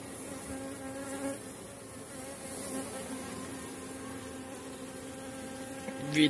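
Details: Strong honey bee colony in an apiary in model condition near the end of the season, during a frame inspection showing open brood and honey. Steady low hive hum with layered droning tones and soft quiet speech, ending in a sharp handling clatter.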